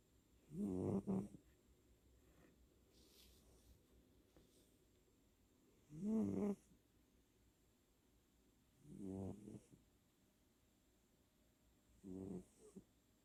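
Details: Senior tabby cat snoring while asleep indoors, recorded at very close range on 10/8/2020 during REM twitching; four low, rasping snore bursts, each about a second long, spaced roughly three seconds apart against a quiet background with faint hiss.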